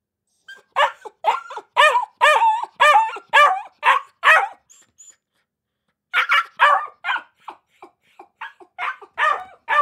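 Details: Akita puppies barking: quick runs of high, yappy barks, about two a second, a short pause mid-clip, then another irregular burst of sharp yips.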